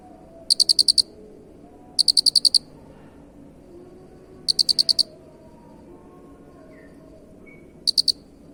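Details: Jangkrik, or cricket, giving shrill pulsed chirps of about six quick clicks each, the bursts coming at uneven intervals with longer gaps later, against a faint low rumble.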